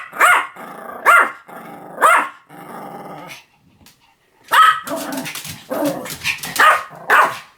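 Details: Pomeranian letting out three evenly spaced barks with growls between, a brief pause, then a tighter flurry of yappy barks.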